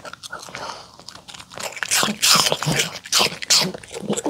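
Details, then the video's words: Mongi, a pet poodle, crunching homemade chicken tenders and salad of apple, carrot and cabbage with a sweet pumpkin, egg and olive oil dressing; loud, crisp bites build in clustered bursts in a small room, with faint talking. "푸들 몽이 강아지 먹방 치킨텐더 샐러드 DOG ASMR MUKBANG eating show"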